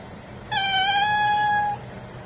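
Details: Calico cat giving one long, steady meow lasting just over a second, strong and clear with rich harmonics, in an otherwise quiet setting.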